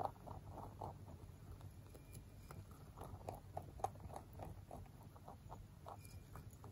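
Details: A male mini rabbit, born 3 November 2020, crunches hard pellets in quick, irregular bursts of dry, crisp clicks over a low hum; an aircraft passes close overhead partway through.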